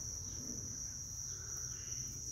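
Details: Green cricket seen taking flight; a steady, unbroken high-pitched trill runs through the whole stretch at an even level over a low rumbling background.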